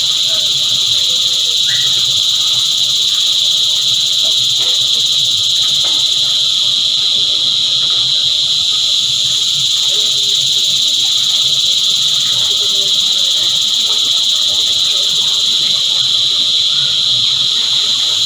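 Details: A choir of cicadas making a constant high, hissing drone that never pauses, stacked in several piercing bands. A few faint, brief chirps and soft background noises show through at lower pitch.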